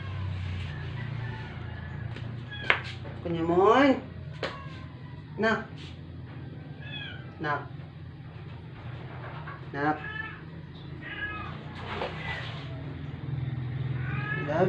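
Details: Rescued stray indoor cat, not eating for 12 days, in its dying moments at home after a vet visit; several drawn-out, wavering meows rise and fall, the loudest near four seconds, over a low steady hum with people talking.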